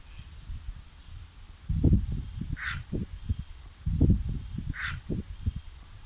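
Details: A Nile crocodile gives deep, rapid barking grunts in two short bouts; the recordist thinks it was calling for attention, sex unknown.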